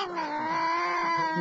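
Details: Domestic cat talking back to its owner: one long, drawn-out, steady meow with rich harmonics, held at an even pitch for about a second and a half with no speech over it.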